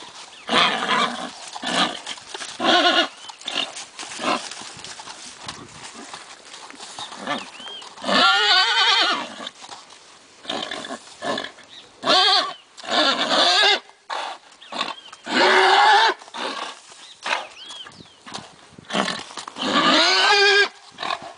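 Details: Lusitano stallion teased in front of mares at a Lusitano stud farm, giving repeated loud harmonic squealing and neighing bursts, some long and strained, separated by short pauses, with faint bird chirps and rustling between calls.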